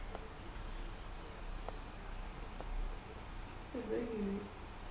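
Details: Tuxedo cat named Behlul gives a single short, low, wavering meow near the end, after a few faint clicks over a steady low hum indoors.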